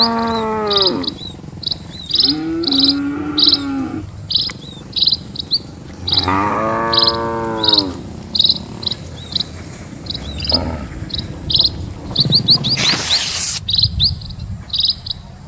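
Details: Many cattle moving slowly across a quiet village road, three loud lowing moos in quick succession, each swelling then dropping, with constant rhythmic high chirping and a short burst of noise later.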